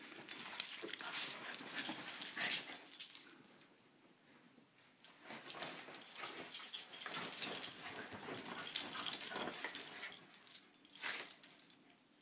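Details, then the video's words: Several corgis brawling on a bed in the morning: two long bouts of harsh, wheezy snarls, snorts and rough breathy growls, separated by a short silent pause, with bedding rustling throughout. "Corgi Brawl"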